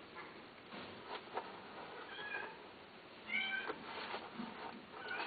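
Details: Domestic cat meowing indoors: a few short, bright meows with a rising-and-falling tone, the loudest pair coming just past the midpoint, set against a steady background hiss and scattered soft clicks.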